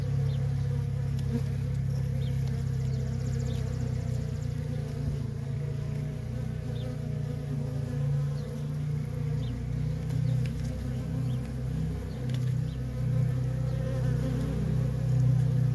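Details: Loud, close droning of worker honey bees at a feral colony with nonstop traffic; deep, rich buzz swelling slightly as bees pass near.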